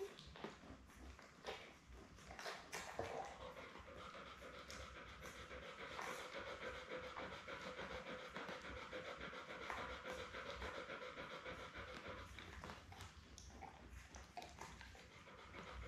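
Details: Rapid, steady panting from Belle, a Labrador Retriever mother nursing seven puppies born May 24, 2021, on a June 4 live puppy cam stream. Soft breaths run about three to four per second, with occasional light bumps.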